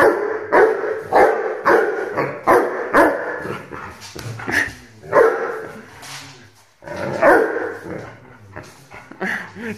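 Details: An 8-month-old Rhodesian Ridgeback puppy barks insistently in irregular runs, about a dozen loud barks with brief pauses, including a quieter lull midway before the barking resumes.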